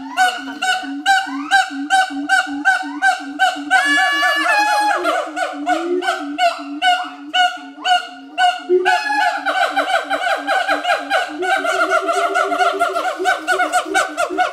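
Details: An adult pair of siamangs at Schmutzer Primate Center, Jakarta, Indonesia, on August 30, 2012, sings a territorial duet of loud, honking barks repeated in rapid, rhythmic bursts.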